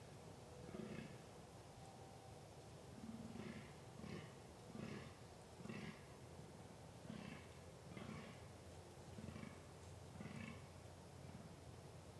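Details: Wild fallow deer during the rut, 2 November 2013, giving low, gruff grunting calls. Evenly spaced single croaks follow each other roughly every second in a long series against constant background noise.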